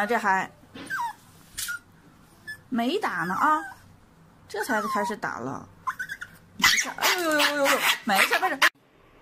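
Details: A dog about to get an injection whimpers and yelps in short wavering bursts separated by pauses, while human voices talk over and between the cries.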